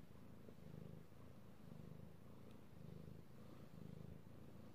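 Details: Domestic cat that enjoys petting purring steadily, recorded 3/16/18: rhythmic low rumble pulsing about once a second, breath-driven swells with quiet gaps between.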